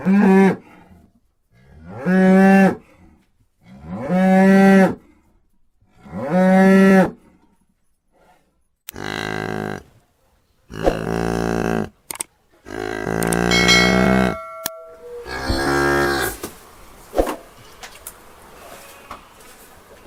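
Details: Cow mooing: four strong, evenly spaced moos roughly every two seconds, each rising and falling, then a run of rougher, broken lowing calls of varied length with some clatter behind them.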